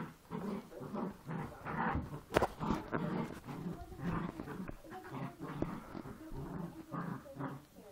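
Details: Poochon puppies play fighting, giving low rumbling growls in repeated bursts with harmonic, snarling tones and occasional sharp clicks or thumps from the scuffle.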